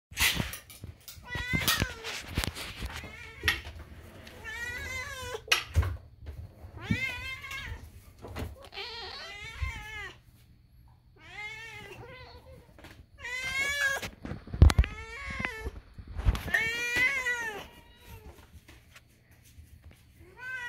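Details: Indoor kitten screaming in a long series of about eight drawn-out, harmonic meows, some rising then falling in pitch, separated by short pauses, with sharp clicks and knocks in between.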